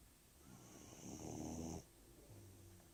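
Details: An 18-week-old puppy snoring while asleep: a single long, rough, low rumbling breath building for about a second and stopping abruptly, followed by a softer, quieter exhale, with a faint steady high whine in the background.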